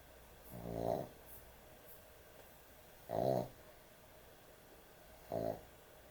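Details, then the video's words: Sleeping puppy snoring heavily indoors at bedtime: three rough, buzzy snores with a low harmonic rattle, each about half a second long and spaced roughly two seconds apart, with quiet room tone between them. "코골이 강아지의 취침시간"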